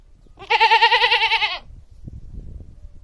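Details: Domestic goat bleating: one loud wavering bleat of about a second, strongly tremulous with a rich stack of harmonics, followed by faint low rustling and background noise.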